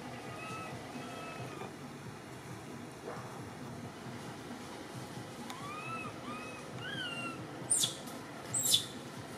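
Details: Cody, a baby among the Temple Monkeys of Cambodia, cries in fear up a tree after being left alone by its mother. Soft, thin, arched squeals come several times amid background hiss, ending with two loud rustling knocks.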